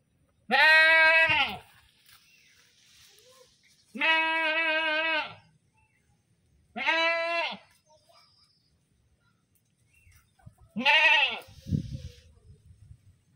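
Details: Goat calling in four loud, drawn-out screaming bleats spaced a few seconds apart, each steady then bending downward, with a thump and faint rustling after the last.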